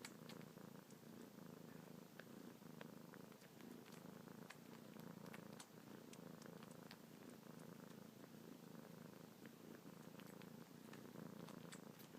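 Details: Domestic kitten named Luna purring non-stop while suckling on fingertips, paws kneading, a nightly and morning habit; steady low rumbling purr throughout with faint clicking suckling sounds on top.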